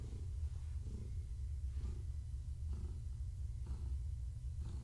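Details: A pregnant long-haired tabby named Gaia purrs under petting and skritches one evening. The deep, throbbing rumble is constant, and its rasping surges return roughly every second with each breath in and out.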